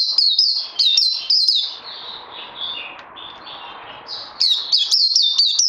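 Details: Puteh (white-eye) being trained on 18 May 2020 after Covid-19. Bright rapid chips open, fading into softer lower warbled notes, before loud high twittering returns at the end.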